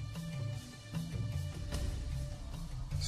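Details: Background music with deep, rhythmic drum-like bass tones and faint higher accents, with no animal voice.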